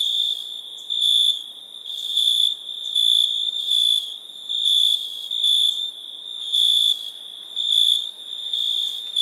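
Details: Night chorus of crickets: a continuous shrill tone under bright trilled bursts arriving roughly every second, slightly irregular, with several insects overlapping.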